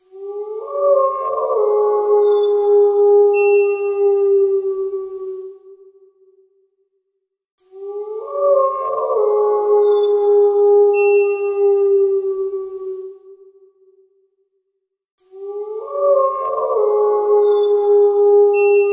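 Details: Wild wolves give long, steady howls that swell in briefly, hold a low mournful pitch, then fade.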